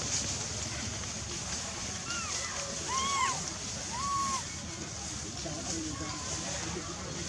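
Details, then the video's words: Baby monkey named Lizza, wild in the forest of the Angkor Park area, crying loudly to call its mother while hungry: a few short, arched, tonal wails rise and fall over about two seconds against steady background hiss. "Poor baby Lizza cry & cry loudly, Lizza cry to call mom& hungry"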